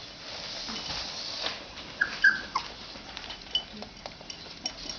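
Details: An 18-day-old male Labrador Retriever puppy gives a few short, high, squeaky whimpers near the middle, with soft rustling and a low background hiss throughout.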